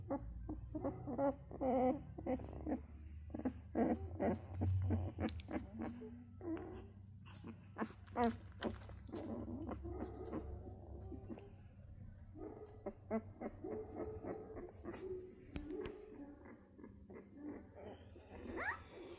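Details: Central Asian Shepherd puppies indoors, giving short repeated whimpers and low growly yelps in irregular bursts, with clattering knocks and scuffling throughout.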